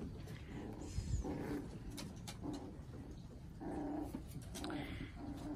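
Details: Puppies playing together on a deck in the morning, one wrestling with a toy; low, rumbling play growls come in swells at about 1 and 4 seconds over steady background noise, with a few faint higher yips.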